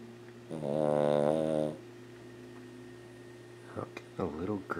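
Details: Elderly female Lhasa Apso, 14 years old, snoring while asleep indoors; one loud buzzy snore over a second long, then a pause and a woman's voice speaking softly.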